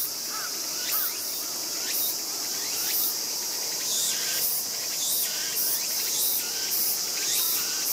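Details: Sibling raccoon dog pups, 14 August 2012: the youngster being bitten on the tail lets out quick high falling squeals in a rapid irregular series, some lower whimpers among them, against a persistent high hiss.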